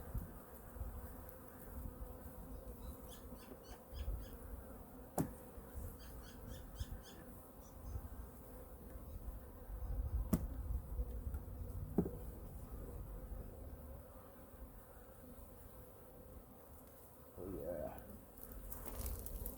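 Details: Winter checkup of a honey bee colony, Hive #2, as frames are pulled and food stores checked: a low, continuous droning hum with occasional sharp taps and a brief rising scrape near the end.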